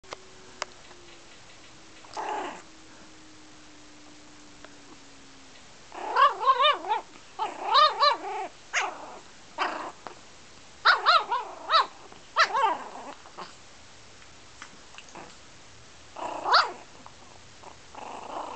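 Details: Six-week-old pug puppy barking at a blanket it is afraid of: high, yelping barks in quick clusters of two to four, with pauses between bursts; a faint steady tone fades out early on.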